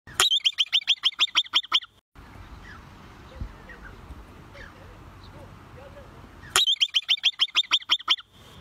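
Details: A wild bobak (steppe) marmot gives a rapid series of sharp, whistled chirps in two separate bursts.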